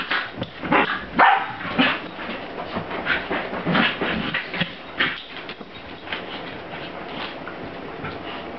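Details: Two corgis, Strider and Cricket, playing together, the smaller female picking on Strider; rough, uneven barks and growly yips in quick bursts, about two a second at first, fading to quieter grumbles.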